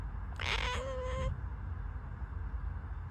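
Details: Indoor cat making a short, breathy meow that opens noisily and settles into a brief steady tone, against a low rumbling background.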